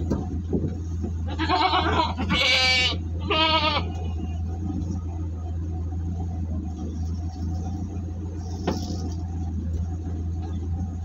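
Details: Jumbo goats on a delivery trip near Singosari, Malang, bleat three times in quick succession, each call quavering and strongly harmonic, against a constant low vehicle drone with a sharp click later on.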